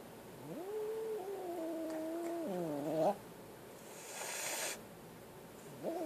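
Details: Frightened kitten uttering a sustained, wavering moan that rises, holds, then dips before ending in a sharp upward squeal; a brief breathy hiss follows, and another rising cry starts at the end.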